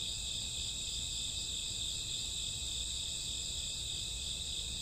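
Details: Night chorus of crickets and grassworms in summer or autumn: an unbroken shrill high buzzing wall of overlapping insect trills, even in volume throughout, over a soft low background hum.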